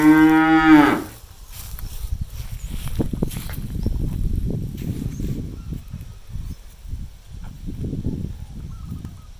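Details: A cow foraging with others in an empty rice field on a farm gives one loud, harmonic moo lasting about a second, followed by low rustling and thumping.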